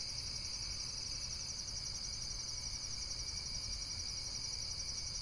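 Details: Insects trilling in a steady, high, finely pulsed chorus that runs without a break, over a low rumble of background noise.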